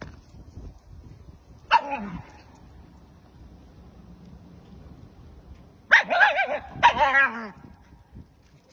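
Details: A puppy playing with a balloon gives three sharp, yappy barks with falling pitch. One comes early, and two follow in quick succession a few seconds later. Soft rustling fills the gaps.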